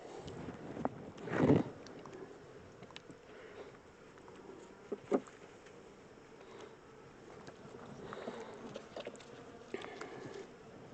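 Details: Honey bee swarm, the second one caught, being moved from a small temporary box into a larger hive: a steady low buzzing drone runs throughout, broken by loud handling knocks and rustles from working the hive frames.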